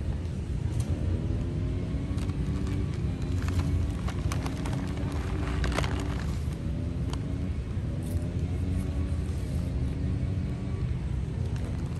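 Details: Steady low engine rumble fills the recording, with faint music and scattered clicks above it and no animal calls.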